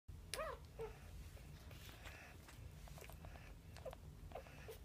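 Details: Puppies from a litter of ten Boxer, American Bulldog and Labrador pups give short, high whimpers that rise and fall, one early and a few more near the end, over a steady low rumble.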